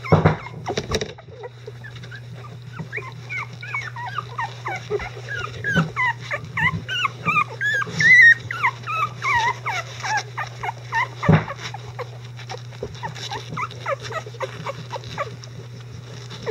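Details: Eleven-day-old Icelandic Sheepdog puppies, mobile and vocal, being cleaned by their mother and grandparents; a long run of high wavering squeals and whines, many overlapping, peaks mid-way then thins out, with thumps and a constant low electrical hum.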